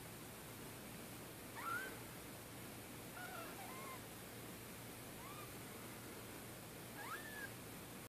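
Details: Four orphaned kittens, 2-3 days old, whose mother was killed by a car in Middletown, being bottle-fed in PetsAlive care; thin, high wavering mews, about five in eight seconds, faint over a steady background hiss.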